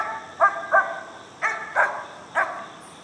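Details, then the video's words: Mountain Cur pup from an Alabama kennel, treeing a squirrel: five sharp, harmonic barks in pairs and singles over about three seconds, with a faint steady background hum. "Mountain Cur Pup Treeing Squirrel"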